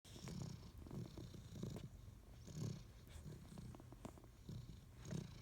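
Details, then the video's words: A sleeping Great Dane snoring indoors, low rumbling breaths recurring roughly every second in a steady rhythm, with faint airy hiss between snores. "Snoring Great Dane"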